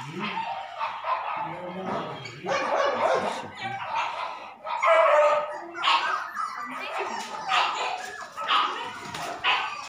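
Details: Labrador Retriever puppies at a pet shop in Delhi NCR, India, giving short, bright yips and whimpers in uneven bursts about a second apart, with a human voice talking in between.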